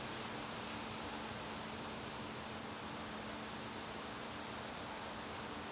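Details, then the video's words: September evening in a garden: crickets keep up a continuous thin, high ringing trill, even and unwavering, over soft background noise. "garden crickets"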